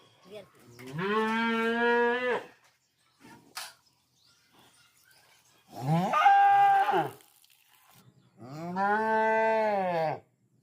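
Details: A cow in a village gives three long, loud moos, each a steady drawn-out bellow lasting one to two seconds.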